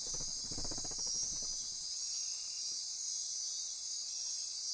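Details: After-dark insect chorus in the Osa Peninsula forest near Corcovado, Costa Rica: unbroken shrill high buzzing, joined early on by a brief low rapid pulsing sound lasting about a second.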